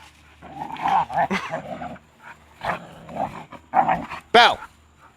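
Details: Two pet shepherd dogs, Kaiser, a year and a half old, and six-month-old Belle, rough-housing and snarling like pigs; harsh, throaty snarls come in several bursts of about a second each, with a brief human voice.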